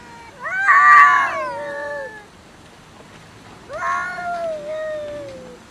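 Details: Two loud, angry cat yowls in a food fight: the first harsh and strained, swelling then sinking into a long moan; after a pause a second rising wail trails off slowly.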